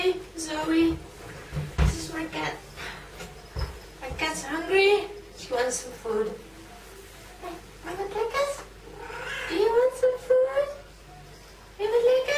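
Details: Hungry female pet cat indoors asking for food, giving a long series of drawn-out, wavering meows, some rising then falling, repeated every second or so, with a person speaking at times.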